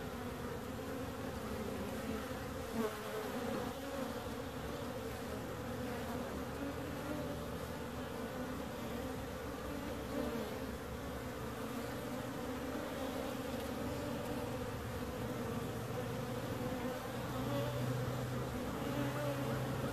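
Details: Many bees humming together in a continuous dense drone, several overlapping buzzing tones blending into an even, unbroken murmur.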